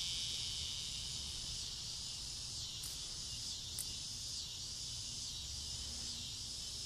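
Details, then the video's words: Summer-evening cicadas massed in yard trees just before dusk, producing a loud, even, high-pitched buzz with a couple of brief sharp clicks and a low background hum. "Noisy cicadas on a summer evening"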